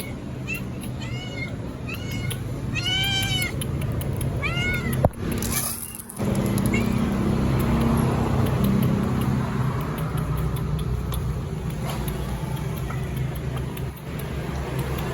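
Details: Hungry striped stray cat fed on the street: several arched, drawn-out meows in quick succession during the first five seconds, then steady traffic-like rumble and background noise with no further clear calls.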